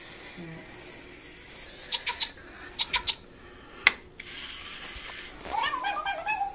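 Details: Domestic cat in a funny cat compilation giving a short, wavering meow near the end, preceded by a quiet stretch and several sharp, clipped bursts in quick pairs and triples, with faint background hiss throughout.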